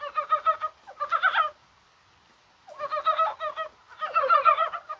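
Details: Mountain frogs calling in January rain on a spring-like day, perhaps during spawning: two quick pulsed croaks, a silent second, then two more overlapping, stuttering croaks.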